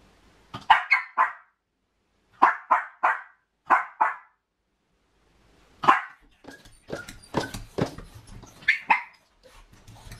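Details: Miniature Pinscher, a female suffering from separation anxiety while left home alone, barks in bursts of three or four sharp, high barks separated by pauses, then a faster run of mixed yaps and clattering sounds.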